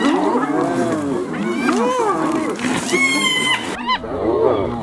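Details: Hyenas brutally attacking another hyena: a dense tangle of overlapping squealing, arching whines and giggling yelps, rising and falling in pitch, with a brief high strained squeal near the middle and a short gap near the end.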